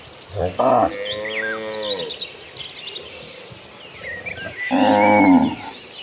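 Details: Tame cattle in a herd walking toward green pastures: a long, drawn-out low moo, a pause filled with small bird chirps, then a second shorter, louder moo near the end.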